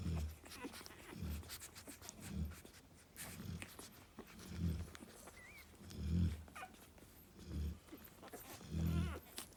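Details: Narla, a female Cane Corso resting with her puppies, snores in deep low rumbling pulses roughly every second, with a brief high squeak partway through and soft clicks and rustles around her.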